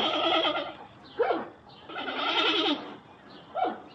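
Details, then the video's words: Panda bear making goat-like bleating, two long wavering bleats with short sharp downward yelps between them. "sound of panda bear - voice of animal"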